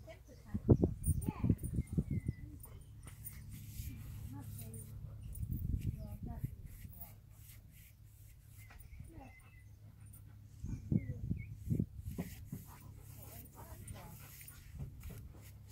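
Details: Two Alaskan Malamutes play fighting in the heat at Camber Sands in 2018, a light rough and tumble: low rumbling growls in bursts, heavy around the first two seconds, again near six seconds and eleven to twelve seconds.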